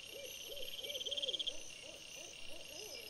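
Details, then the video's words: Evening fox vocalizing near a trail camera, 17 September 2022: a quick series of arched, yelping notes, fading toward the end, set against a constant shrill insect drone. "VOLPE sera"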